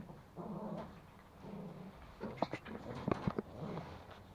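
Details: Toy Pomeranians Pomo and Pomy, young male and female, tussling for a sock indoors in Kathmandu, Nepal; a low rumbling growl that swells and fades, then quick snappy grunts near the end.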